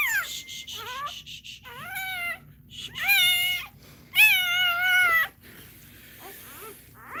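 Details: Crying from a Cane Corso during a labour, a run of short high squeals followed by two sustained, arching wails and a faint trailing whimper, rich in overtones, over low background hum.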